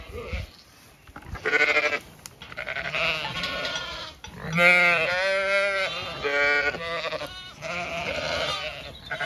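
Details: Zwartbles sheep flock on a regenerative farm in County Kilkenny, Ireland, moving to a field for late afternoon grazing; several loud, wavering harmonic bleats overlap, some long and quavering, with brief gaps and faint outdoor background.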